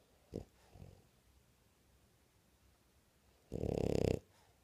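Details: An awake French bulldog snores: two short raspy snuffles near the start, a long quiet pause, then one harsh, rattling snore of about half a second followed by a faint breath.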